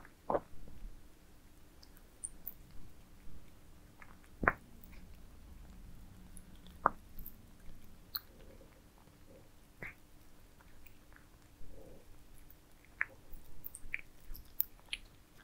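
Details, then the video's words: Cats eating towers of minced meat: scattered wet smacks and sharp clicks of chewing and biting, irregularly spaced, with soft low rumbling between bites and a faint steady hum underneath. "Cats eating minced meat towers asmr"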